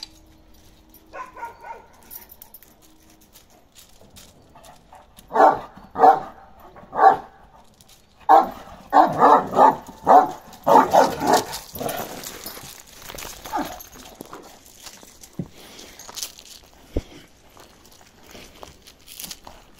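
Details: Karakırçıl Kangal Balyoz, a male aged 15 months, barks in a steady run of loud, resonant woofs about once a second, easing into softer, scattered sounds and quiet afterward.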